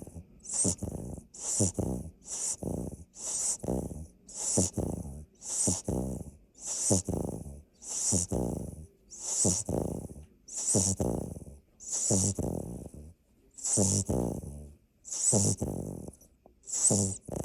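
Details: A sleeping Labrador Retriever puppy, the largest of its litter, snores with rattling, buzzy breaths about every second and a half, each pairing a low, throaty rumble with a soft hiss of air.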